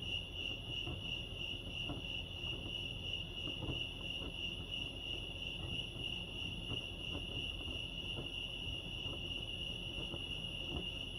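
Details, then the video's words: Chorus of crickets at Lake Arrowhead in California, an unbroken shrill trill at a single high pitch for the whole stretch, gently pulsing, with quiet low-pitched rumble and scattered faint clicks beneath. "Serenity sounds crickets chirping lake arrowhead"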